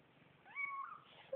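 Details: Young kittens calling with a bright, steady high meow lasting half a second, followed by a shorter wavering mew and the start of another cry.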